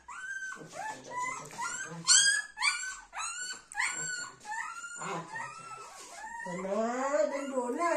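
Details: Golden Retrievers together, little Dona with her mother Anna and grandmother, indoors: high, whistly whines that rise and fall, repeated in quick bursts, ending in a long wavering whimper, with a person talking softly between them.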